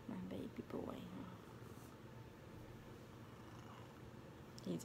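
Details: Large male Maine Coon cuddling and gently kneading its owner in Bossier City, Louisiana, USA, purring in a continuous soft low rumble, while a woman talks to it at the start and again at the end.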